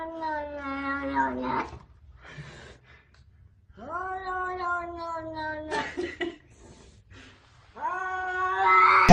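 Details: A domestic cat 'speaking' with three long, clear meows spaced a few seconds apart, each starting low and rising slightly before holding steady, with brief rustling between calls and a sharp noise at the end.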